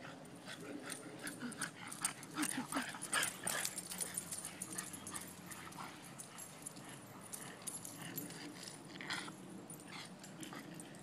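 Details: Boston Terriers, several dogs, playing together: low rough growling and grumbling with scattered short yips and scuffling noises, irregular and busy throughout.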